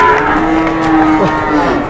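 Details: Angry cow said to be raging and charging during bargaining; a sustained, steady low moo with even harmonics holds through the whole stretch over a busy background of voices and crowd noise.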